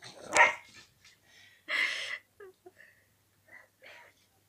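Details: Pembroke Welsh Corgi puppy named Martin, from a kennel in the Moscow-Chekhov area, barking to call a kitten to play, unaware the kitten has left the pipe: one sharp loud bark, a longer harsh bark, then several soft short yips indoors.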